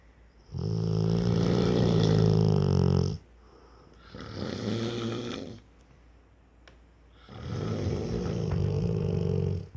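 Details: A 4-year-old Rottweiler snores in long, deep, rumbling breaths, each lasting a couple of seconds.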